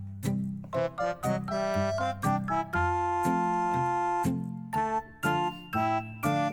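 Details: A bright keyboard melody with bell-like notes plays throughout, and no animal is heard.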